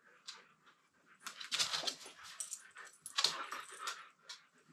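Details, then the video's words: Siberian Huskies wrestling playfully indoors: scattered high whimpers and yips mixed with breathy scuffling noises, uneven bursts about every second or two, ending in quieter single yelps. "Funny Husky Sounds as Timber and Titan Play"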